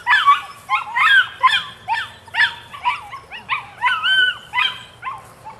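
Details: Nine-week-old female puppy yapping steadily, short high-pitched barks with a whiny bend, about two per second throughout, each bark sharp and slightly rising then falling, with a soft low hum in the background.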